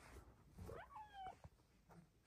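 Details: A female Bengal cat on her petting shelf in a closet in the morning chirps and meows in joy while being petted: a quick rising chirp, then a short meow sliding gently downward.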